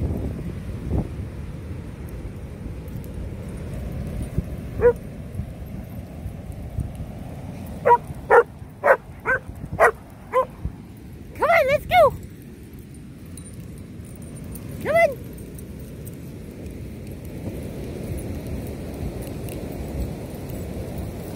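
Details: Rhodesian Ridgebacks barking: a quick run of about six short, sharp barks, then a pair of strained, whiny yelps and one more lone bark after a pause, over a steady low rumble of outdoor background noise.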